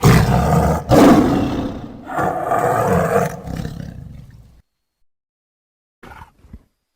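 A tiger gives deep, rasping roars that swell and fade over several seconds.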